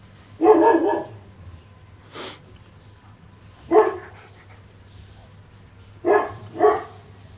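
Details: Cane Corso puppies, 40 days old, at play in a kennel yard give short sharp yappy barks, singly and in a quick pair, spaced by pauses, over a faint low hum.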